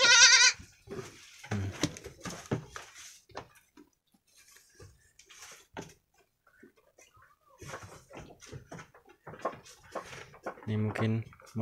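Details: Two brown Jawarandu goat kids, about one week old, playing in their pen on 6 November 2021; a loud nasal bleat opens the clip and another returns near the end, with a person talking in between.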